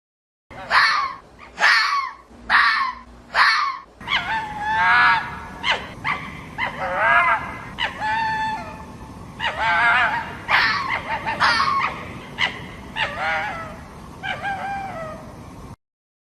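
A fox gives four harsh, rasping screams, then a run of rapid, overlapping yelps and chattering whines.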